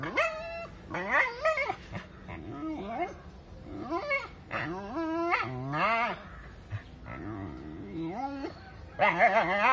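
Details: Dog almost crying while trying to send a monkey out of its area: a dense run of high, bending yelps and whines, each rising then dropping, repeated every second or so, loudest at the start and the end.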